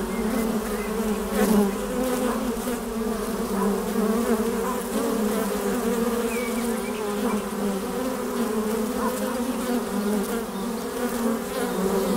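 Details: Many honey bees humming in flight before their hive's entrance hole, an even, continuous low buzz that wavers gently in loudness, with a few soft distant bird notes.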